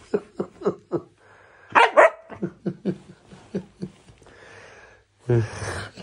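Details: Husky puppy pestering another dog indoors, also biting when scolded: a run of short sharp barks and yips repeated roughly every quarter second, then a louder rough burst, with a woman's scolding voice and laughter between.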